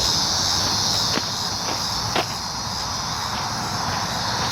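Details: Cicada buzzing on 19 July 2019: a loud high drone at first that thins after a second or so into a softer hiss, with two or three sharp clicks.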